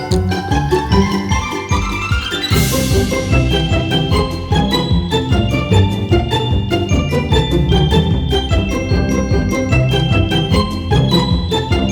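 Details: Bright mallet-percussion music with marimba and glockenspiel-like notes over a steady beat, with a rising sweep near the third second and no animal voice.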